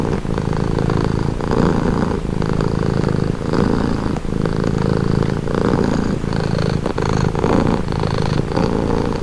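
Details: Domestic cat purring steadily, a low rumbling drone pulsing in regular breaths about once a second, with the rough texture rising and easing on each inhale and exhale; no other sounds stand out.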